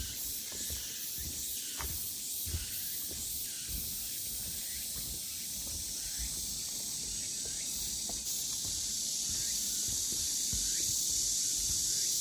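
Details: Cicada chorus along the Deogeumsan Solbaram-gil forest trail, Namwon, Korea, on 16 August 2019; a dense, high-pitched hiss with faint rhythmic pulsing that swells louder toward the end, over quiet footfalls.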